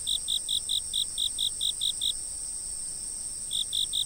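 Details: Insect chirping outdoors before a fixed camera: about ten quick, high, even chirps at roughly five per second, a pause of over a second, then the series resumes, over a constant shrill background hum of more insects.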